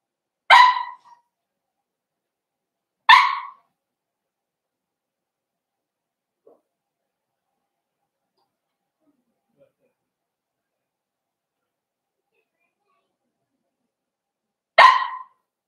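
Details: Four-week-old Cavalier King Charles Spaniel puppies in an indoor puppy pen during a socializing and feeding session. Three short, sharp yelps ring out, two close together near the start and one after a long quiet stretch.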